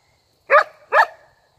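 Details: Talkative female Border Collie, asking for another massage on an afternoon at home before a park walk, gives two short rounded woofs about half a second apart, like spoken replies, with silence around them.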